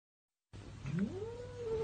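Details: A cat named Teddy lets out a low, rising-then-level meow, a wavering tone that climbs from a growly start and holds steady, with light background hum.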